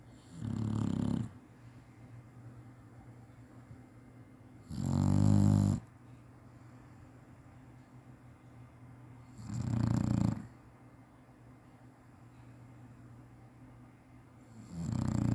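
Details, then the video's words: Chinese Shar-Pei napping indoors and snoring as usual: four loud, low rumbling snores roughly every four to five seconds, each lasting about a second, with quiet breathing between. "cachorro roncando bonitinho chinese sharpei"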